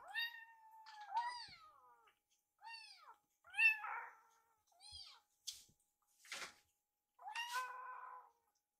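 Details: Rescued baby kittens sitting together indoors, staring at a microwave while waiting for their food: clear high meows, some rising then falling, others short and sharp, in bursts about a second apart in a quiet room.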